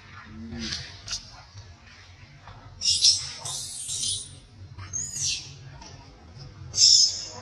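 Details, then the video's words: Baby monkey throwing a crying tantrum while being mistreated by its mother; shrill high-pitched screams in bursts around three, five and seven seconds over a low steady hum. "Miserable Life, I Never Seen Before Mom Mistreat Her Own Baby || Baby Cry Tantrum"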